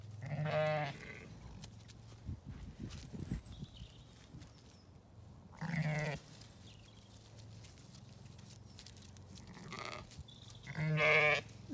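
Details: Zwartbles ewes and lambs out in a paddock on a County Kilkenny farm in Ireland; several bleats, rich in harmonics, come a few seconds apart, the longest and loudest at the start and the end, with a low hum beneath.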